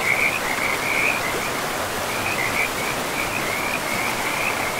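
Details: Frogs in a pristine forest by a river give bursts of high, rattling trills that come and go at an even pitch, set against an unbroken hiss of running river water.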